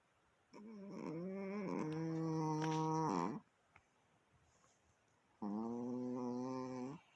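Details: Chihuahua making a strange noise indoors: two drawn-out, harmonic moaning sounds, the first about three seconds with wavering pitch, the second shorter and steadier after a quiet pause.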